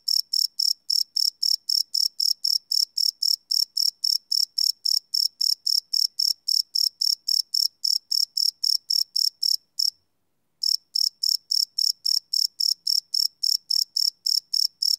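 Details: Crickets at night, live field recording on a Sony PCM D100: shrill pulsed chirping around four per second, broken by one brief silence near the tenth second before resuming.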